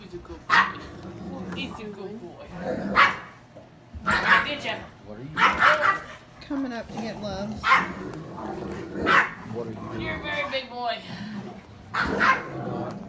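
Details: Great Dane barking at a girl of the household, described as very vocal and loud: deep, harmonic barks in bursts roughly every one to two seconds, about eight strong ones, with people's voices in between.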